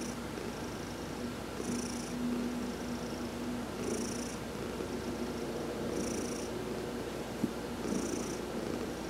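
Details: Sunbathing cat Heidi, adopted, purrs under massage on November 19, 2020; a low, rough, continuous vibration with a hissing inhale roughly every two seconds and a faint tick or two in the background.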